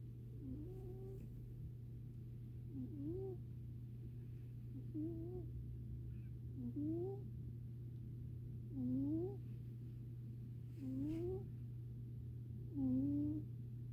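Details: Sleeping domestic cat snoring: short squeaky, slightly rising tones, one about every two seconds, with a steady low hum underneath throughout.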